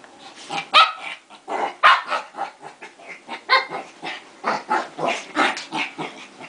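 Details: Dogs fighting, short harsh barks and snarls repeated almost every second, some rising into higher yelps.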